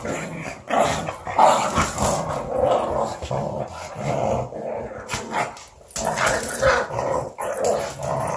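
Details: Minnow, a small female pug, playing with Tyler the Australian Shepherd: continuous rough, throaty growling in rolling bursts with brief pauses, some harsher snarls mixed in, plus scuffling noises of the two dogs tussling.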